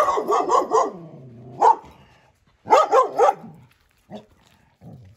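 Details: Belgian Malinois named Tilda, a fearful dog reactive to people and other dogs, in training in Boise, Idaho; a burst of several sharp barks, a single bark, then another quick run of barks and softer trailing yips.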